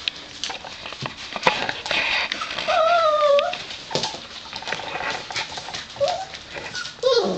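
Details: Gordon Setter puppies, five weeks old, whining in short high rising and falling whimpers, a few drawn-out wavering cries between soft pattering and scuffling sounds indoors.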